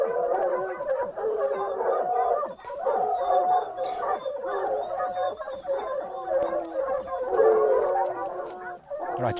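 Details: Hunting dogs on a leopard hunt bay more intensely as the cornered leopard moves. A dense, overlapping chorus of yelping barks and howl-like cries runs continuously, with several dogs calling at once.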